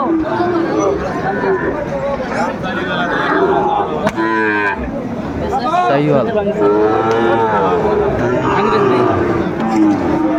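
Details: Amid constant chatter at a Comilla livestock market, Bangladesh, 6 July 2024, a pair of Sahiwal bull calves low with several drawn-out moos mixed into the crowd noise.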